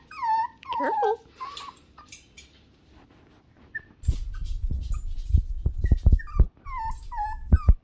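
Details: Falling whimpers from six-week-old Toy Poodle puppies open the recording, then comes a quiet pause. A second stretch brings short high yelps mixed with sharp knocks and thuds.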